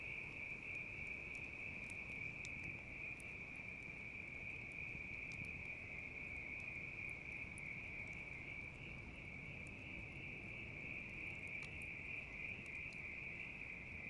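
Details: Continuous high-pitched ringing trill of bell crickets, unchanging in pitch for the whole stretch, accompanied by frequent crackles and snaps from a wood fire and a soft low rumble of flames.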